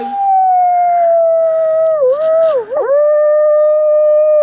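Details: Wolf at the Gentle Barn howling in a close encounter: one long sustained tone that slides slightly downward, dips and wavers twice near the end, then steadies again, strong and clear with little background.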